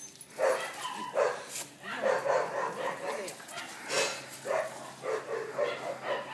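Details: Jackie, a pet Boston terrier, plays tug with a rope indoors, giving short gruff barks and yips in uneven bursts while a person talks and teases throughout.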